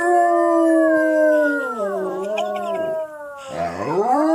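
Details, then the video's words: Pet dog howling together with a girl, long sustained tonal howls with rich harmonics, holding level then sliding down and wavering, a second voice dipping and rising at the end. "Howl of a good time!"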